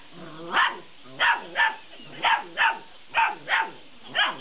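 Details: Playing Malinois puppies aged 50 days with a laughing cat toy; eight clipped, high-pitched barks come mostly in quick pairs about half a second apart, with brief quiet gaps between.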